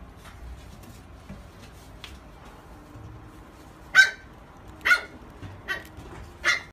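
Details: Barks of a black female Labrador Retriever born 26 August 2017: after a quiet stretch with faint murmurs, four short, sharp barks come roughly every second, the last ones a little softer.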